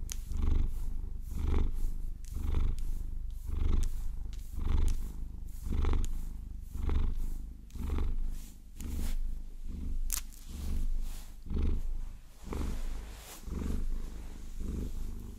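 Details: Maine Coon cat purring while being massaged and scratched with long fingernails, a steady low rumble swelling and fading about once per second, overlaid by close scratching and tapping of nails on fur.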